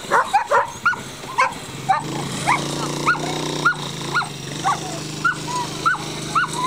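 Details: Standard Schnauzer at coursing training yelping steadily, each sharp, arching yip rising then dropping, repeated about every half second over a low steady hum.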